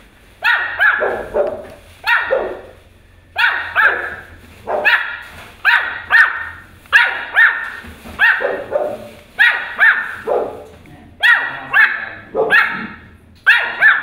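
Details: A Pomeranian puppy barks at a huge dog, high, sharp yapping barks, often in quick doubles, about once a second.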